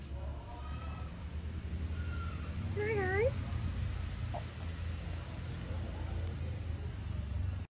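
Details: A house cat gives one wavering meow that rises and falls in pitch about three seconds in, over a steady low rumble, with a person talking quietly nearby.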